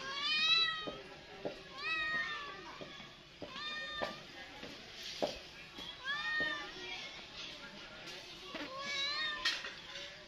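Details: Domestic cat meowing repeatedly: high, tonal meows that rise and fall, roughly one every second, loud and close, with a few soft clicks and knocks between calls.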